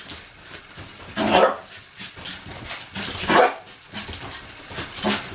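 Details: Excited ten-month-old puppy Poppy, half wheaten terrier, half wire fox terrier, playing wildly on the bed; two loud barks about two seconds apart over rustling, followed by commands to stop biting and speak.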